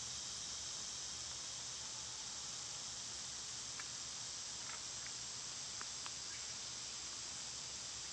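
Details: Dense, unbroken shrill droning of summer cicadas, even in loudness throughout, with a handful of brief faint chirps poking out around the midpoint and later.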